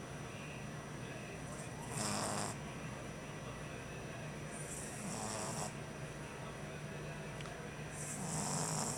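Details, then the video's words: A French Bulldog puppy on his first night home, exhausted, snores in loud, wheezy, rasping breaths, one about every three seconds. "french bulldog puppy snoring"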